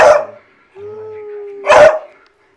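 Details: Pet hounds, riled up by their owner, give a loud baying burst, then a steady held howl note, then another harsh baying burst.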